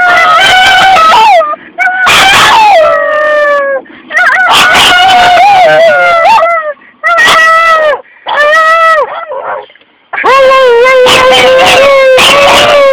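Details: A pug and Boston terrier cross howls like a wolf, unprompted: a series of loud, drawn-out tonal howls, each dipping and sliding in pitch, separated by short breaths and brief silences.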